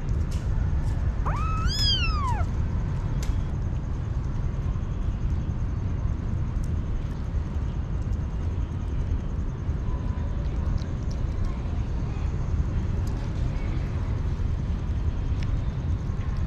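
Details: Hungry stray kitten with one clear, drawn-out meow that rises and then falls. A steady low rumble fills the background and no further calls follow.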